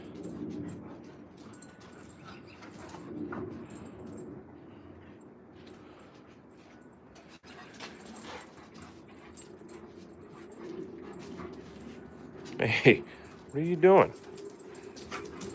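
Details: Alaskan Malamutes Moose and Raven playing and chasing each other outdoors in spring: a long quiet stretch of low rustling, then two short, harmonic whining yelps close together near the end.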